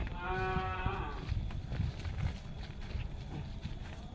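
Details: A cow gives one low, drawn-out moo with rich harmonics lasting about a second. A quieter, rumbling, noisy background with faint music follows.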